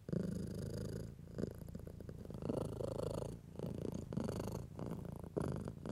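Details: Stroked house cat purring, intended to show nervous cats that touch is pleasant: a quiet low rumble rising and falling with each breath, mixed with soft brushing sounds from a hand on fur.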